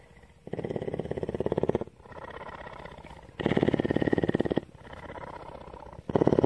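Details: Tawney, a captive cougar (mountain lion) at CARE in Bridgeport, Texas, purring: deep, pulsing rumbles in long bursts of about a second, alternating with quieter breathing phases, steady and rhythmic throughout.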